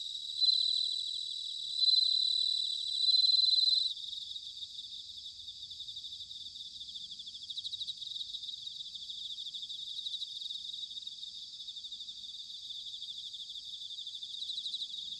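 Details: Bell crickets in autumn, recorded in Sanuki, Chiba, Japan: three loud, high ringing trill bursts in the first four seconds, then a continuous pulsing, shimmering chorus of many crickets.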